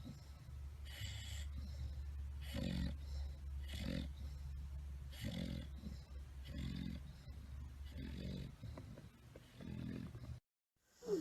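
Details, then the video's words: Loud snoring from a tired bulldog deep in sleep: about eight rough, guttural breaths at a steady pace over ten seconds, then a brief silence and a sudden noise at the end. "tierd bulldogs snoring"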